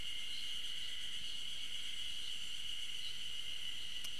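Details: Ezo spring cicadas sing a steady, shrill high drone with faint pulsing swells about once a second, heard but unseen on a trail at a university campus in Okhotsk, Hokkaido, on 15 June 2012.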